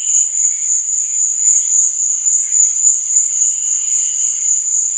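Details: A shrill, constant cricket trill at night, even in loudness from start to finish, with gentle wavering background tones much quieter below.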